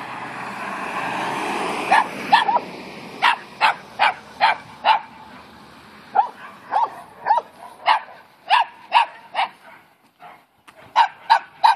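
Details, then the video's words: Dogs barking at Newfoundland dog Capy, who stays calm: sharp barks come in bursts, about a dozen over the stretch, with pauses between runs; a faint hum lies under the opening seconds. "Capy vs Barking Dogs"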